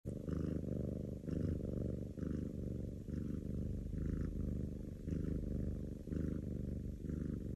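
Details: A sleeping cat purring steadily, a low rumbling pulse repeating in rhythmic cycles about once a second, with no other clear sounds.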